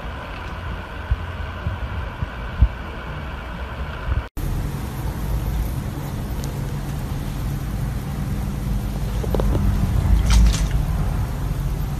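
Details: Steady low rumble of road traffic and engines, with a brief cut near four seconds and a few sharp clicks later on; no animal voice stands out.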